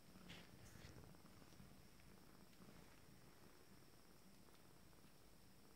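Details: Abyssinian kittens from a first litter, 19 days old, starting to play indoors; a soft, steady low purring rumble runs throughout, with a few faint brief clicks and rustles early on.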